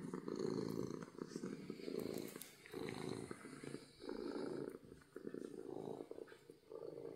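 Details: Happy domestic cat purring loudly from happiness: a low, rough, continuous rumble swelling and fading in about one-and-a-half-second cycles as the cat breathes in and out.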